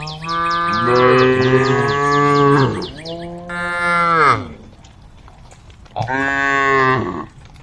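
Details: Several cows on the road to the barn calling the herd: overlapping long, rich moos, one dropping in pitch, then a short pause and another bellow, with rapid high chirping at the start.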